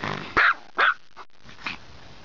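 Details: Female dog kept at home gives two sharp barks about half a second apart, then a faint third sound. She is protesting the Polish words "do paki!" ("go to prison!"), which mean being closed in a small room during guests' visits.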